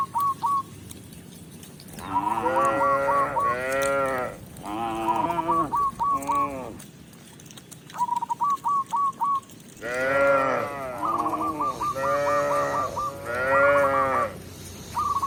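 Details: Tame cows walking into the pen as a village shepherd leads them home; rich harmonic moos in two long clusters separated by a quieter gap, interspersed with quick runs of high chirping notes.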